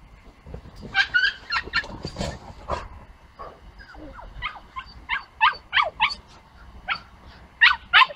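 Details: Puppy meeting a big dog for the first time: a run of short, high yipping barks and whimpers, roughly three per second, some clustered in quick pairs, with soft low rumbling noise underneath.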